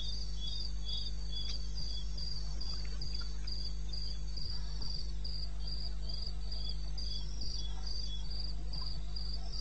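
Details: At 2:30 am on 21 May 2016 in the eastern Botswana wilderness, crickets keep up a high, pulsing chirp chorus, less evenly timed, layered over a continuous low rumble.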